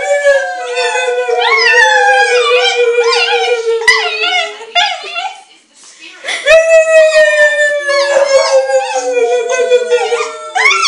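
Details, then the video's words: Indoor pet dog Ona howling alongside a human: rapid wavering, bending cries over a held, slowly sinking tone, a short lull around six seconds, then a strong renewed howl with quivering overlapping voices. "My cute dog crying with me."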